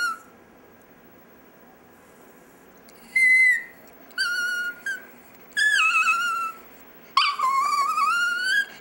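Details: Pet chihuahua named Dexter "singing" at home, giving a string of piercing whistle-like notes, some falling, others wobbling upward, in bursts under a second to nearly two seconds long with pauses between.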